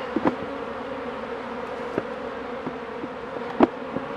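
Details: A steady, even hum from honey bees during hive work by a beekeeper, punctuated by scattered light clicks and knocks of equipment.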